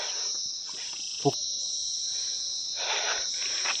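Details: Insects in a hill forest along a mountain road near Gangtok give a steady, high-pitched, shrill and unbroken drone, with a brief knock and rustling.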